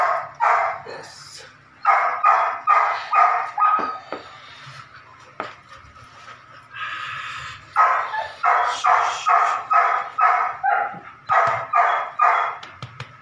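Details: Evita, a 9-week-old Belgian Malinois puppy in ball and prey drive training, barking in rapid bursts of four to six high yelping barks, a brief whine between groups, over a faint low hum.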